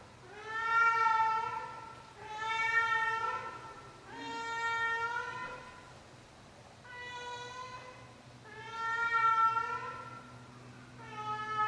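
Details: A 16-year-old female cat giving her nightly performance: six long, drawn-out meows, each rising then falling, spaced about two seconds apart, over a steady low electrical hum.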